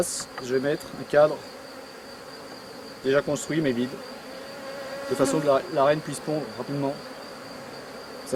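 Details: Honey bees around a drone-laying colony during a successful rescue; several low, wavering buzzes swell and fade as bees fly past, clustered in bursts near one, three and five to seven seconds, over a faint steady hum and thin high whine.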